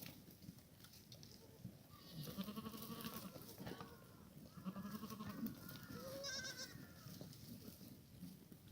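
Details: Korean black goats in a farm exercise yard in Gimhae, South Korea, on a clear, cold late-March Sunday morning give a few faint, quavering bleats over a steady low rumble of background noise.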